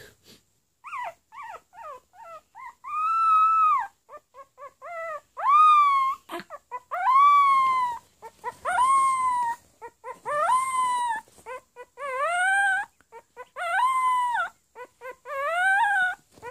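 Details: Pomeranian puppy attempting to bark, producing rhythmic bursts of short squeaky yips alternating with drawn-out rising and falling howls, repeated about every second to two seconds in a quiet room.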